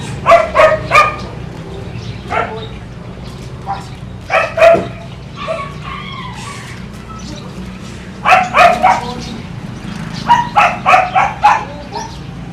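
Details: Kiefer, a German Shepherd aged one year living with a family in Bohol, Philippines, lets out repeated volleys of three to four sharp barks, with softer whining sounds between volleys in the middle.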